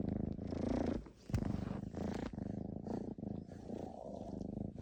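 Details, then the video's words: Cat's loud real purr during its suckling habit, short bursts of low vibrating rumble broken by quick breaths and one soft click, very close. "우렁찬 고양이 쭙쭙이소리"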